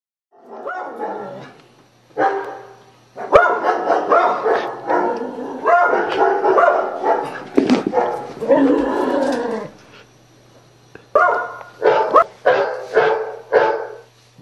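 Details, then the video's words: Beagle barking indoors in reaction to sound effects played from a computer: loud harmonic barks and drawn-out bays in uneven bursts, some runs lasting over a second, separated by short silences. "(Beagle) Barking At Computer Sound Effects"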